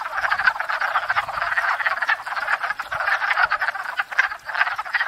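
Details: Wood frogs in spring at a pond after thawing, gathered to court and breed: a dense chorus of overlapping duck-like clucking croaks, rapid and continuous, many frogs calling at once with no other sounds.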